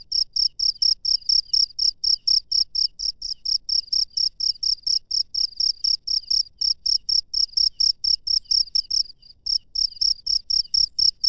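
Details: Night-time cricket in the wild, chirping continuously: bright high trill-like bursts repeated about twice per second, briefly faltering near the end, with soft low rustling noise in the background.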